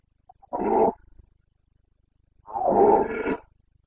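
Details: Boncănit of a Carpathian stag, red deer in rut in the Bucovina mountains, September 2022; two powerful bellowing roars, the first short, the second longer and rasping, separated by silence.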